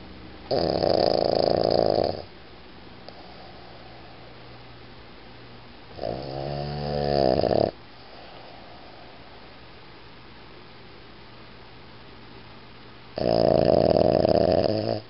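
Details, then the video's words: Boston Terrier named Iggy snoring indoors: three loud, rasping snores, each lasting one to two seconds, separated by long quiet pauses, the middle one with a rattling, fluttering texture. "ボストンテリア イギー いびき"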